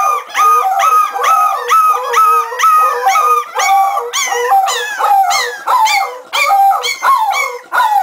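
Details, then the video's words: Cardigan Welsh Corgi puppies, 3.5 weeks old, from a litter born November 2008 at a Swedish kennel, howling together in overlapping high, wavering notes with bright harmonics, pulsing in short rising-and-falling waves about every second. "Howling Welsh Corgi Cardigan puppies"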